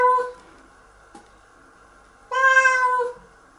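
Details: Nora the cat protests being washed in the shower; the tail of one meow fades out, a faint click follows during a quiet gap, then a single loud, steady meow of about a second rings out.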